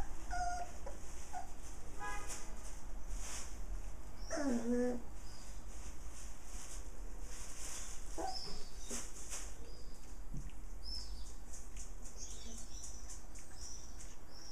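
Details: Six playful puppies with their mother dog, giving high whining whimpers and short yelps scattered through steady background hiss, with faint chirps overhead.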